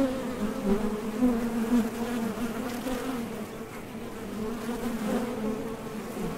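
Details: Worker honey bees coming and going at a Top Bar Hive entrance on nectar-gathering flights, their thoracic-muscle hum a continuous low drone that swells and fades as individuals pass close by.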